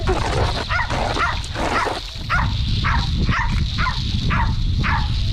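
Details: Bulldog puppies, sister pair Pansy and Daisy, one wild and one laid-back who can no longer keep up and sulks; a series of about eight short, high, arched yelps spaced roughly half a second apart over low rumbling background noise.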